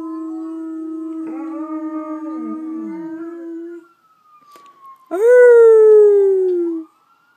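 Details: A female Alaskan Malamute, trying to howl along to videos of other malamutes, howls twice: first a long, level, slightly wavering note, then a stronger howl that starts high and slowly falls; a person speaks faintly afterward.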